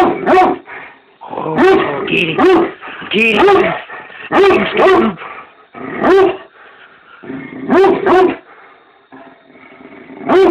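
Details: Very mad Great Dane confronting a werewolf mask indoors, letting out clustered deep, resonant barks mixed with growling, in bursts roughly every second with short pauses and occasional human speech between.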